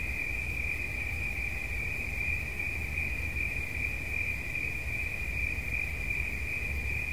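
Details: Cricket trilling continuously at a single high pitch for relaxation listening, the tone even and unbroken from start to finish, with a steady low background rumble underneath.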